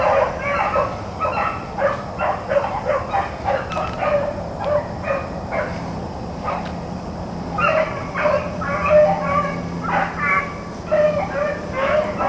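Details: Rabbit hounds, Blackcreeks and Blueticks, on a rabbit chase on April 4, 2013: bursts of loud, ringing barks and bays follow one another in quick, uneven runs, several voices overlapping, over a steady low hum.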